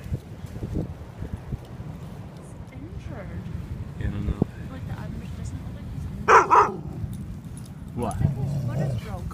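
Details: Airedale Terrier barking while meeting a hurt beached seal on a shore; two loud sharp barks close together near the middle, then a rougher bark toward the end, with a person speaking and steady background rumble.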